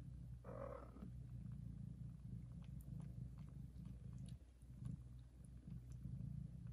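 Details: Mother cat purrs very loudly while licking her newborn kittens; a short higher mew-like sound opens, then a steady deep rumbling purr continues with slight pauses and faint clicks.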